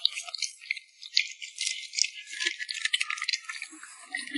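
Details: Lip smacking from a puppy at mealtime: quick, crackly, high-pitched wet clicks in uneven bursts, loudest around the middle.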